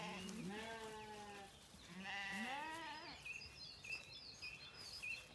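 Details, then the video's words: Zwartbles lambs on a lush regenerative farm in County Kilkenny, Ireland, bleating in the morning while looking for their mothers; two drawn-out, wavering bleats, the second rising and falling, followed by birdsong chirps in the background. "Lambs are quieter this morning, though still looking to me for their maas"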